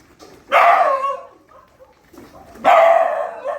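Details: Dogs at a shelter during night feeding, two loud harmonic barks about two seconds apart, each sharp onset with a short tail, quiet pauses between.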